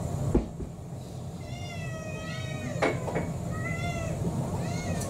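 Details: An orange tabby mixed-breed cat named Kurumi, about four years old, pleading for her evening meal: a series of drawn-out, gently rising and falling meows, with a sharp knock and light clatter over a low indoor hum.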